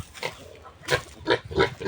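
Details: Piglets of a new sow at weaning, gone wild and difficult to catch around a farmyard; a run of brief, rough squealing bursts, growing louder and quicker toward the end.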